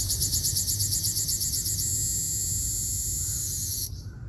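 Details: Ryukyu large brown cicada, Graptopsaltria bimaculata, on Okinawa Island, Japan, on 17 June 2026: a loud high buzzing song that pulses rapidly for nearly two seconds, then runs as a steady drone before stopping abruptly near four seconds.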